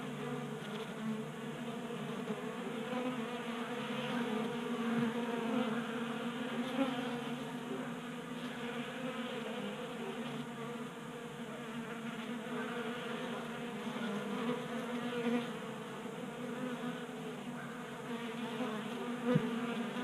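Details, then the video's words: Many honey bees at a tabletop 3D printed feeder in a Colorado garage, kept active in January by unseasonal warmth: dense, constant buzzing drone with shifting overtones and faint ticks throughout. "45 Minutes of Honey Bees Feasting from 3D Printed Bee Feeder"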